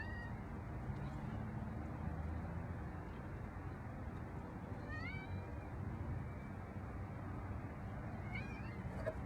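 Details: Pet cats at home: two brief rising meows with bright harmonics, one near the midpoint and another close to the end, heard over a constant low rumble of background noise.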